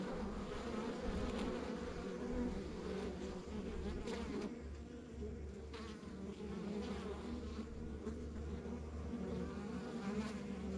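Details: Rural backyard beehive with honey bees giving an unbroken low buzz, layered humming tones steady throughout, plus a deep low rumble underneath and occasional faint clicks.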